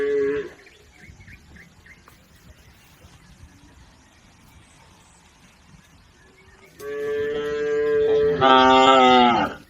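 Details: A cattle herd driven across a river toward the livestock pen. A short low at the very start, a long quiet stretch with faint background sound, then loud, rich moos near the end that rise and strain in pitch.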